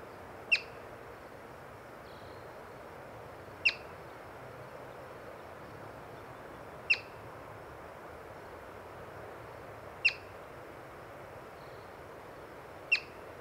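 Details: Yellow-bellied marmot seen while birding, chirping five times at a steady pace of roughly one sharp, high whistle every three seconds, with quiet outdoor ambience between calls.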